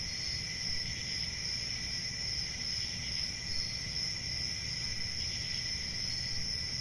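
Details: Unbroken high-pitched chirping of crickets with a faint pulsing in loudness, holding constant pitch over a quieter second band and low ambient rumble.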